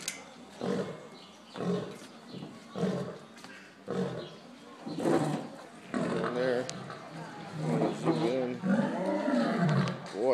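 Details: African lions at a wildlife sanctuary, males calling: a series of deep, grunting roars pulsing roughly once a second, building into longer wavering growls toward the end, with people talking softly in Spanish nearby.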